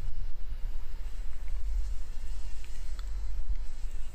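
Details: A fly caught in a spider web in a workshop, morning; a continuous, fluctuating buzz with a heavy low rumble and scattered faint ticks.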